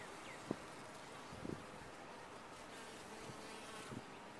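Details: Honey bees inside a top-bar hive keep up an even, rushing hum, broken by three or four brief knocks or taps spaced about a second apart.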